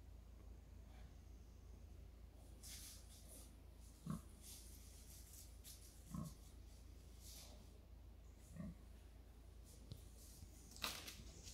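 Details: Wild pigs in a forest encountering a man: short low single grunts spaced about two seconds apart, near four, six and eight and a half seconds, amid rustling and scattered clicks.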